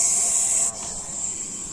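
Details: Russell's viper, or chandraboda, called very dangerous: a loud, steady, high breathy hiss that cuts off sharply after under a second, leaving a softer continuing hiss.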